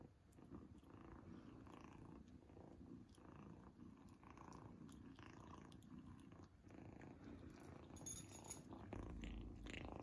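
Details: Kitten Izzy purring while eating a treat for the first time, indoors; a steady low rumbling purr runs throughout, broken by brief clicky eating noises and a few louder bursts near the end.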